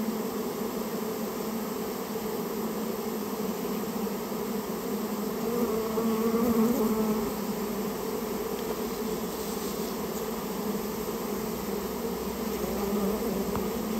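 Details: Japanese honey bees of a colony nesting inside a storehouse, being removed; steady dense buzzing hum with strong bands near 200 and 400-500, swelling slightly around the middle, continuous throughout.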